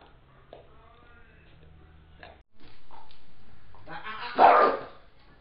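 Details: Domestic dog sound at home as a Beagle steals the bigger bone of a one-year-old Pit Bull: quiet start with low hum, then a single loud, harsh bark-like burst near the end, with a woman speaking.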